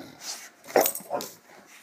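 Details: Dog vocalizing indoors, from a household with an English Mastiff and an American Staffordshire Terrier; a short whiny bark-like cry peaks near the middle with a second softer yelp after, over faint room noise.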